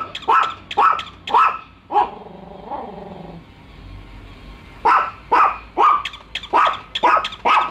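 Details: Two pet dogs, Bico and Faith, barking on first meeting a toy dog they distrust; sharp repeated barks in quick bursts, a whining growl-like pause in the middle, then a run of barks about twice a second.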